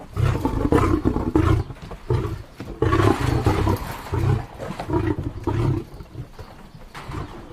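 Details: Low, throaty lion roars repeated at a fairly steady pace, loud at first and fading toward the end.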